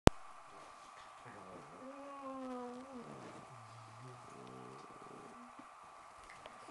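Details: Italian Greyhound puppy giving drawn-out tonal whining yowls that waver and slide in pitch over a few seconds, followed by shorter pulsed whimpers, in a quiet room with a soft background hum.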